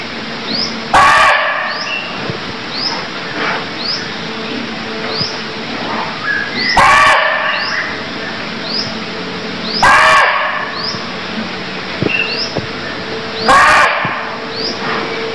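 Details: Barking deer from Cambodia calling four times at roughly three-second intervals, each a brief rough bark, while quick upward-sweeping chirps repeat throughout the background.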